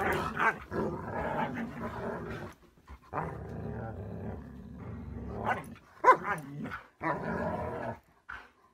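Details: Siberian Husky "talking": drawn-out, grumbling, harmonic vocal phrases rising and falling in bursts of two to three seconds, separated by short pauses, with a sharper yelp-like note near the end.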